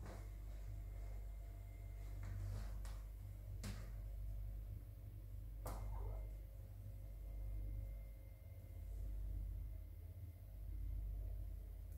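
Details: Kitchen with low hum, several sharp knocks and rattles of cupboards, and no animal voice.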